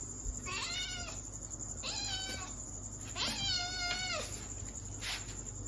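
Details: Baby kitten giving three clear, high-pitched meows about a second apart, each bright and sliding down in pitch, with a faint steady hiss behind them.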